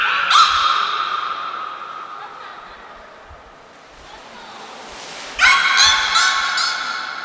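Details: Niko, a beluga at Port of Nagoya Public Aquarium in Japan, calls during a training session on 25 February 2024: a bright harmonic squeal that slowly fades, then a second rich, buzzy harmonic burst after a brief thin high tone.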